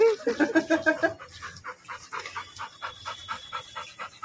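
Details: Labrador Retrievers Mani and Maya at their first meeting: rapid rhythmic panting, about three breaths a second, with a brief high whimpering run at the start and a faint steady tone behind.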